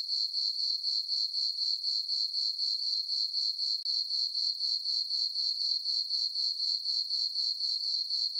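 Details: High, metallic cricket chirping fills a calm summer night on a farm meadow beneath a full moon. The pulses stay steady at about four per second, broken only by a brief dip midway.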